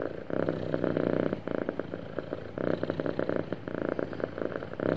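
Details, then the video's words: Contented cat purring steadily, a smooth throbbing rumble running in long phrases with short breath gaps around 1.4, 2.6 and 4 seconds; no other sounds. "Happy Cat Purring Smoothly"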